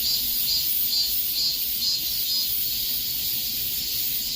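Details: A dense cicada drone in the heat of summer: a high, hissing buzz pulsing evenly around two beats per second.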